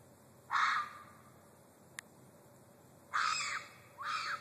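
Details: Red fox screaming: three harsh, raspy screams, the first about half a second long, then two more in close succession near the end, with a faint click between them and a quiet background.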